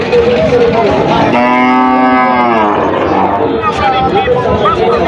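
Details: Cattle at a busy cattle market in Rajshahi, Bangladesh: one long droning moo lasting about a second and a half, with traders talking loudly all around and crowd noise throughout.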